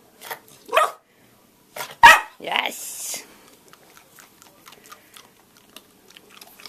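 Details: Female Australian Cattle Dog, recorded March 29th 2012, that recently found her voice, barking on a hand cue during training: a few short sharp barks near the middle, with a person talking in a small room before and after.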